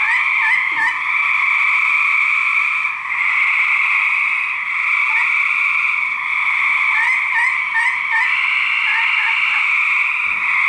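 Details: Male gray treefrogs in a fight, captured for research: dense, unbroken buzzy trilling in two steady pitch bands, with short upward-sweeping chirps scattered through, a small dip near three seconds, and faint low knocks.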